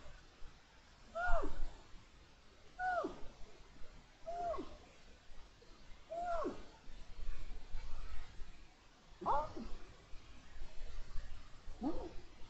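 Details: Pillo, a lynx in heat, gives a series of six meows at roughly one-and-a-half-second intervals in January 2022. Each is a short, bright tone that drops sharply in pitch, against a steady low rumble.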